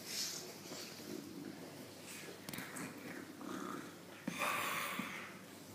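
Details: English Bulldog female being teased and showing her teeth gives wheezy, breathy snorts and grumbling rumbles, rising to a louder huffing burst near the end.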